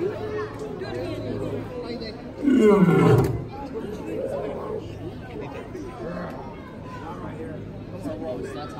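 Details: Hubert, a male lion born in 1999 at Lincoln Park Zoo, roars at the Los Angeles Zoo on New Year's Day 2019: one loud, deep roar lasting under a second and sliding downward in pitch, with visitors chattering throughout.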